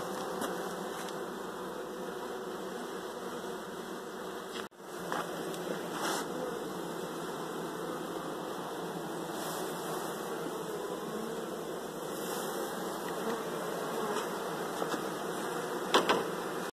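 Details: Honey bees searching for their removed honey super; dense continuous droning hum at steady volume, a brief dropout near the start and scattered faint clicks.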